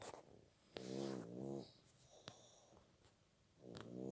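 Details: Puppies asleep indoors, one snoring in nasal, squeaky tonal breaths: a long wavering snore early on, a few soft clicks and rustles, then another whining snore rising at the end.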